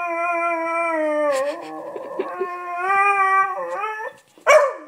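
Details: Pet Beagle howling indoors because it wants to come up onto the bed. Long, steady, rich howls hold level, then dip, with a break of rougher whining in the middle and a sharp yelp at the end.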